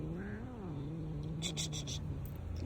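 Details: Black cat making a low, wavering, moaning meow that holds steady for most of two seconds, with faint rustling and a sharp squeak at the very end.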